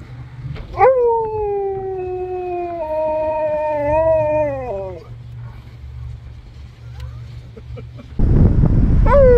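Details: Drive-thru Husky lets out one sustained howl lasting about four seconds, level and slightly wavering before dropping off. A quiet pause follows, then a burst of louder noise and the start of another howl, over a low engine drone.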